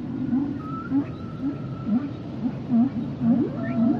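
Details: Humpbacks singing: quick repeated rising chirps roughly twice a second, a long flat whistled tone running across the middle, and a few higher upward sweeps near the close, all over low marine background noise.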